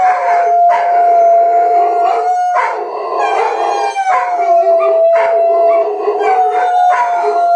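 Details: Group howling of Rhodesian Ridgebacks, done several times a day: long steady howls layered with rougher, noisier voices, restarting every second or two with sharp onsets and slight downward bends in pitch.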